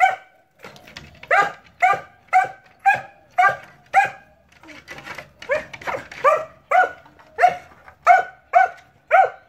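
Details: Dog barking almost nonstop: loud, sharp, mid-pitched barks repeated roughly twice a second in an uneven series, with a brief softer gap near the middle.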